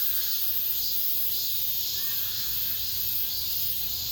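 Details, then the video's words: Late-summer cicada chorus within an apartment complex, a steady shrill hiss throbbing in gentle pulses roughly twice a second, with a brief faint whistled note in the middle. "올 여름 마지막 매미소리, 아파트 단지 내..."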